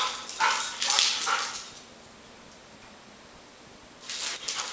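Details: Airedale Terrier named Max picking on another dog, Gabi: a few sharp bright barks and yips in the first two seconds, a quiet pause, then a fresh burst of barking near the end.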